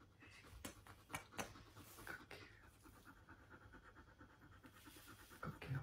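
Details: Siberian husky meeting a new puppy sister, panting quickly at about four breaths per second in an even, rhythmic run, with a few sharp clicks and knocks nearby.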